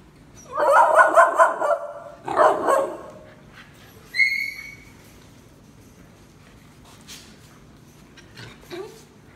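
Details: Rescue puppies from the QQ litter yapping in a busy cluster of high, harmonic barks and yips, a second short burst, then a thin rising whine, before quiet with faint shuffling and one last squeak.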